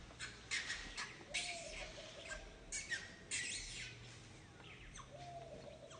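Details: Infant monkey Santo crying to his mother Sara for milk: harsh, squawking high cries in short bursts, several loud pulses in the middle, then a thin drawn-out tonal whine near the end.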